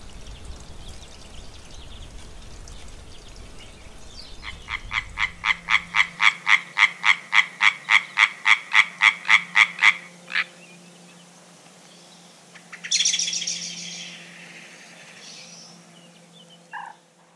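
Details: European tree frog (Hyla arborea) at a pond edge in the countryside of central France on 9 April 2020, among the first calls of the year, gives a fast, loud series of harsh, clacking notes, about four per second.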